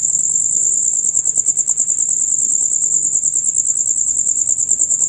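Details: Chorus of male crickets, a sound typical from dusk to dawn, producing loud, rapid high-pitched chirping as an unbroken pulsing trill with slight swells in volume.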